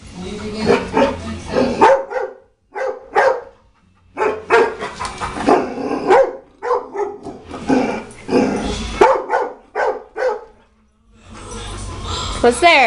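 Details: Miyavi, a pet dog, barking at a china cabinet indoors: bursts of sharp, rapid barks in clusters with short gaps, some harsher and noisier, and brief quiet spells between.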